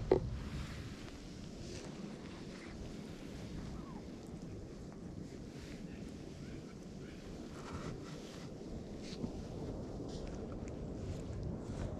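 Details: Steady wind buffeting the microphone with a low rumble and faint distant voices throughout; no animal calls stand out.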